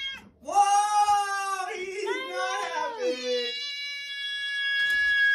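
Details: Cat meowing indoors: a long, drawn-out, wavering meow that rises then slides down, followed by a second bending cry and a fading tail, rich in harmonics, with a person speaking nearby.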